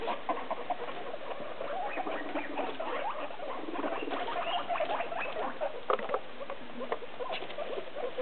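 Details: Hungry domestic guinea pigs, six together in three small cages, squealing ahead of dinner: a busy chorus of quick squeaky notes and occasional longer rising whistles, with steady shuffling and pattering throughout.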